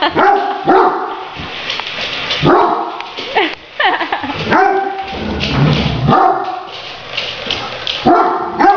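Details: Excited Great Danes barking at a remote-controlled toy tarantula, steady bursts of deep, resonant barks repeated roughly every second, some clipped and yelping, with short gaps between volleys.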